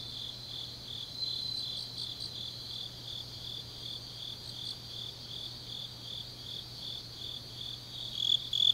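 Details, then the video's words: Grass insects on a deep autumn night in Changnyeong, South Gyeongsang, South Korea: a steady high chirping chorus with quick pulsed trills layered over it, soft and even throughout, a faint low hum beneath. "깊은밤 가을 풀벌레 소리"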